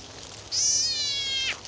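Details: Screaming frog caught by a snake: a single high, thin, nasal wail of about one second that drifts gradually lower and ends abruptly, with only soft hiss behind it.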